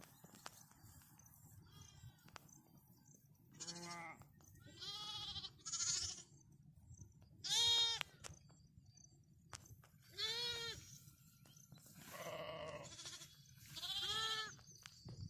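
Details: A lamb calling for its mother, giving about seven loud, quavering bleats spaced one to two seconds apart, some higher and thinner, others fuller, over a steady low background hum.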